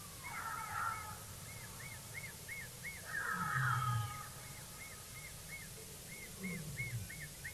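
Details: Jackals at Naledi Dam in the evening give wavering, yelping wails in overlapping bursts, most likely alarm calling at nearby lions, possibly rallying near a kill; an eagle owl drinks nearby, with steady high chirping insects and low rumbling behind.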